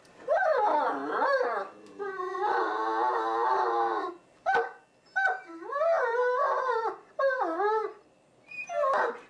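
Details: Deaf Great Danes "talking" in a run of loud, drawn-out howls and yodel-like moans, some swooping steeply in pitch and others held steady. Five or six phrases are broken by brief silences and a sharp click.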